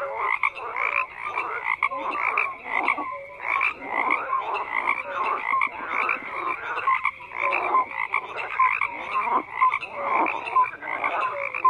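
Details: Many frogs croaking together in a steady, overlapping chorus of raspy pulsed calls, bursts following one another roughly every half second, with brief clear tonal notes scattered through.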